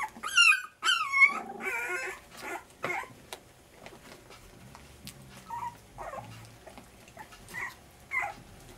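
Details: Puppies at dinner time on day 23: a few loud, high wavering whines at the start, then softer scattered squeaks and yips among faint rustling and clatter.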